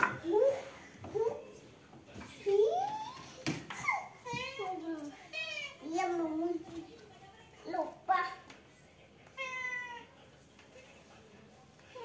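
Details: Village house cats meow repeatedly, with drawn-out rising and falling cries, some harsh and wavering, spaced a few seconds apart, with a child's voice and room noise in between.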